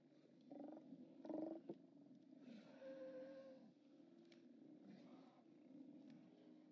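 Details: Steller sea lions at a haulout on 29 October 2017, several animals giving overlapping low, harsh roars and growls, one louder burst near the start, over a steady background murmur of other sea lions.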